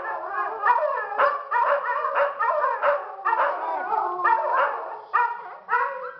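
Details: A pack of pet dogs at Toca do Bilbo meets up for a group howl that claims each member's standing; layered, rising and falling harmonic howls mixed with short yips, loud and continuous, fading into separate bursts near the end.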